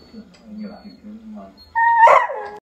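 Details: Pet beagle asking to play, first with a low, steady grumbling moan, then with a sudden loud, high whine that wavers and falls away, in a quiet room.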